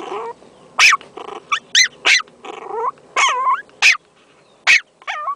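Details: Female teacup Yorkshire Terrier puppy, four months old, recorded in 2008; a run of sharp, high yips interspersed with whiny, wavering vocalisations, roughly eight bursts over five seconds with short pauses between.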